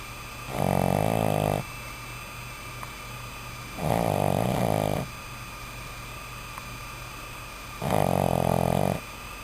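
A Boston Terrier puppy snores in low, rattling, buzzy bursts, each about a second long.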